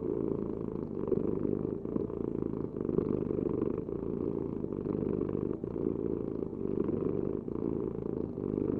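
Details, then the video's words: Close, steady cat purring: a low vibrating rumble with gentle regular surges as the animal breathes in and out, uninterrupted and without other sounds. "Heal with the ultimate cat purring vibration"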